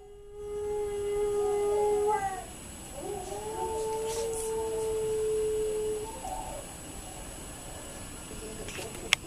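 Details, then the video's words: A male Alaskan Malamute gives two long, steady howls, each ending in a slight downward slide. "Diesel Howling (Alaskan Malamute)"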